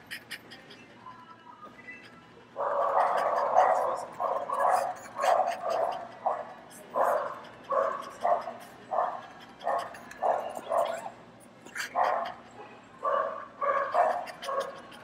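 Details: Many dogs barking in a PetSmart store as a French Bulldog listens; a steady series of rhythmic barks follows a quiet opening, with faint background music and chatter.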